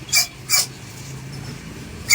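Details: Belgian Malinois during a stay obedience training session, giving two short sharp barks about a third of a second apart, then a third bark at the end, over a low steady background hum.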